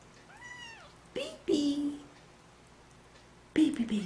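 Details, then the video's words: Kitten gives a short high meow that arches up and falls, followed by a person cooing baby talk close by indoors. "Baby Kitten and his funny meows"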